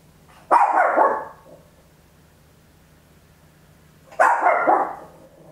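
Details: Indoor stereo recording, Olympus LS-11, of a small Papillon barking very loud: two drawn-out, rasping barks about three and a half seconds apart, with a soft steady hum beneath.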